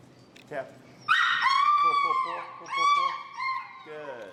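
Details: Finn, an extremely vocal dog in recall training with an e-collar in Chicago, gives high whining whimpers: a sharp yelp, then long sustained whines that slide slightly downward, a second rising-falling whine, and a lower closing whimper.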